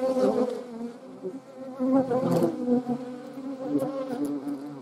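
A hornet's low, steady wing buzz with a droning hum that wavers in loudness.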